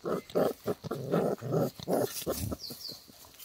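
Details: Play-fighting Boerboel puppies produce a rapid run of rough, grunting growls in irregular bursts, followed by two brief high squeaky whines near the end.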